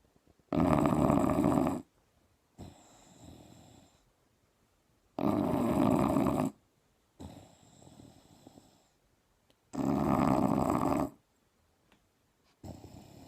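An English Bulldog snores loudly, each harsh rattling inhale followed by a softer wheezing exhale.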